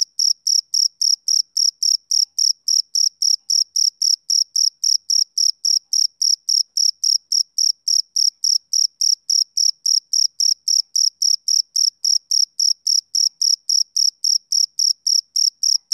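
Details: Summer-evening chirping from a male cricket: an even train of piercing, high-pitched pulses, close to four each second, holding a constant rhythm and loudness with nothing else audible.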